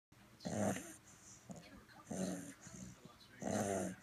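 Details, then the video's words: Sleeping ten-week-old purebred fawn Bulldog puppy snoring, three deep rattling snorts about every one and a half seconds, each with a raspy buzzing breath, quieter wheezy breathing between. "Snoring Bulldog Puppy!!"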